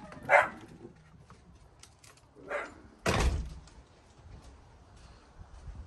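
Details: Norman, a pet dachshund (wiener dog), barking while going to investigate a noise outside on a rainy day: one sharp bark, a softer second bark two seconds later, then a loud door-like thud.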